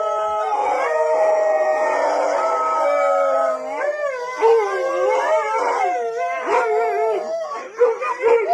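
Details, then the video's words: Dogs howling loudly: a sustained layered chorus of steady tones for about four seconds, then shorter wavering, bending howls that rise and fall in quick succession. "Som de Cachorro UIVANDO ALTO (5 Uivo de Cães )"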